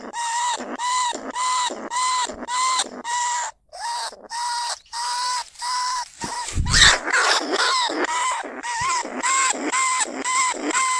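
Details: Caged lesser bandicoot rat, a rice-field pest, recorded live at Na Lao, Nong Khu Phai for luring rats into traps: a rapid run of harsh, rasping squawks about two per second, broken by a louder, rougher burst midway before the series resumes.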